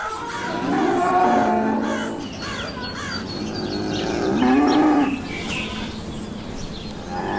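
A young calf gives two drawn-out, rising moos a few seconds apart.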